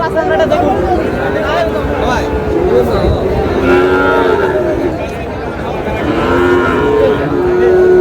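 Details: Sahiwal bull calves at a busy cattle market, a Bogura farmer shopping: several drawn-out moos rise and sag midway and near the end over constant crowd chatter and bargaining voices.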